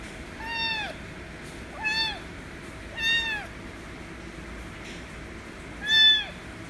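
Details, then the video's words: Loud meowing from a white kitten demanding affection, four bright meows with rich overtones, each rising then dropping away, the last the loudest, separated by roughly one-second pauses over quiet room noise. "White Kitten Meowing Loud Demands Affection As Always"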